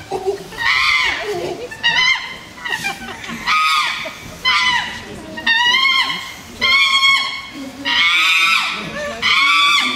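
Harsh, piercing screams from a chimpanzee rise and fall in rapid bursts, roughly one each second. These are aggressive calls that make up part of a threat display.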